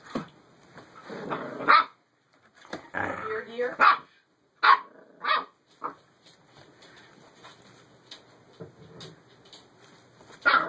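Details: Two Whippets, Nikolai and Marvel, playing together indoors; short, sharp barks burst out near the second, fourth and fifth seconds and again at the very end, with a person talking to the dogs in between.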